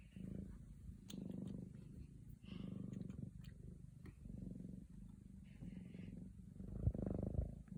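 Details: Scottish Fold kittens indoors watching a bird through a window; low rumbling purr in steady pulsing bursts of about a second each, with faint brief higher chirps and clicks on top.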